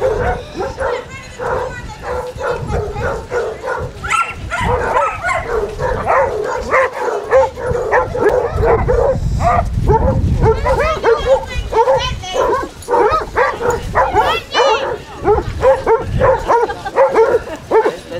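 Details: Basset Hounds on a group walk of 24 dogs along Burnham and Berrow beach, Somerset, 2 February 2014, keep up a rapid, overlapping chorus of barks and howling bays, about a hundred a minute, with a few human voices.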